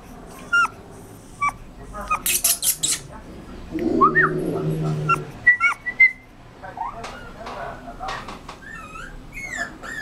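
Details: Rottweiler puppy whimpering: short, high, rising-and-falling whines and squeaks in scattered bursts, with a louder cluster of yelps near the middle and broadband clatter early on.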